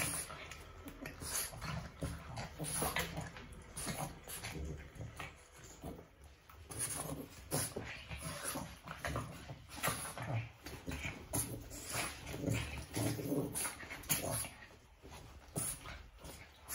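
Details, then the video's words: Two Boston Terriers fighting indoors without a reason in a love/hate relationship: low rumbling growls and snorting grunts in rapid, irregular bursts, mixed with scuffling and pattering noise from the tussle. "Two Boston Terriers Fight Without a Reason"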